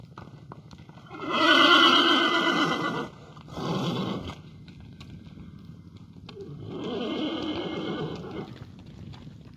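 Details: Lipizzaner horse at the Spanish Riding School in Vienna, Austria, where a female foal was the first born of the New Year; a loud, harmonic whinny lasts about two seconds, followed by a short burst and a softer, drawn-out neigh, with faint hoof clatter.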